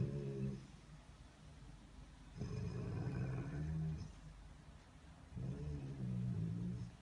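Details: Rottweiler rumbling in low growls indoors: a short growl, then two sustained throaty bouts, each lasting about one and a half seconds, with quiet gaps between them.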